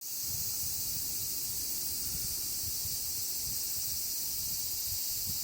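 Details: A large chorus of cicadas forms one unbroken wall of shrill, hissing buzz, steady in pitch and loudness for the whole stretch, over faint low rumbling thumps.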